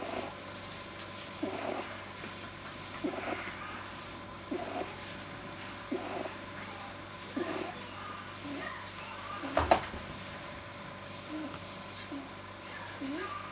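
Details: Pet male rabbit resting deeply relaxed, January 2010, making soft-palate noises a vet attributed to an overly long palate: low nasal snorts every one to two seconds, one sharp click near the middle, faint steady hum behind.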